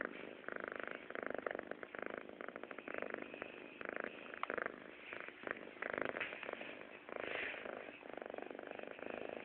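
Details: A pet kitten purring steadily, a continuous rhythmic rumbling that pulses with each breath and carries on without a break.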